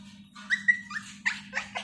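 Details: Tiny one-month-old female Siberian Husky puppy at home gives quick high whimpers and yelps, a thin whine, then two or three sharper, breathier yips in under two seconds, over a faint constant low hum.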